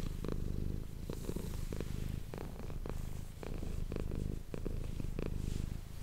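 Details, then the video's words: A domestic cat named Manis purring close to an ASMR microphone indoors: a steady, low rumbling purr with a fine pulsing texture, interrupted by brief soft clicks and rustles. "ASMR cat purring ❤ Manis die aan het spinnen is"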